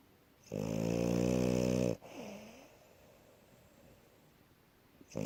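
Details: Indoors, the French Bulldog Asya sleeps after running about and lets out one long, coarse, buzzing snore of about one and a half seconds, then a faint whistly exhale and quiet breathing.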